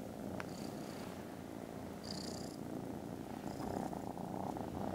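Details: Very loud purring from foster kittens resting contentedly after lunch, Friday 18 December: an unbroken deep buzzing rumble, with a few short high-pitched chirps above it.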